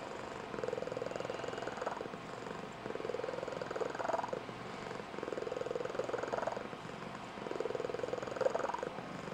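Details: Female Blue Point Tonkinese cat purring indoors, a squeaky high-pitched trilling purr made when excited or rousing her owner in the morning; soft, steady pulsed purr rising and falling in swells about every two seconds.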